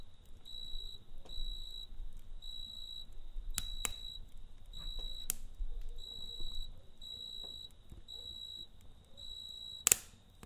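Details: Cricket chirping at night beside a campfire: a steady high, pure trill in bursts of about half a second, repeating with short gaps, while the fire crackles and pops sharply throughout over a low rumble.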